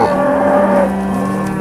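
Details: Cattle at the Moseley Cattle Auction sale of 8 August 2013, steers on offer: one low, steady, drawn-out moo with a buzzy, harmonic tone that holds level for nearly two seconds, a higher thin tone fading out midway.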